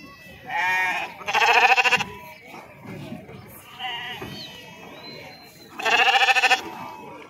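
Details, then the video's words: Sheep unloading at Pebbair sheep market, animals jumping down: loud, strongly vibrating bleats in quick pairs, a pulsing tremolo in each call, with faint voices in the background between bursts. "sheeps beautiful sounds"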